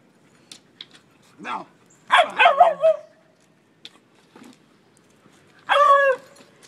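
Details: Beagle mother Mango romping with her two four-month-old puppies on a beach in Costa Rica; a burst of three quick barks, then scattered soft yips and a final loud bark, with a voice talking briefly.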